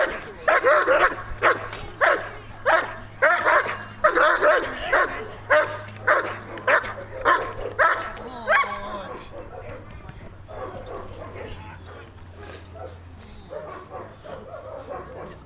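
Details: Achilles vom Darland Haus, a 14-month-old German Shepherd Dog, doing Schutzhund protection work: a run of loud, sharp barks roughly every half second for about nine seconds, then quieter background sounds.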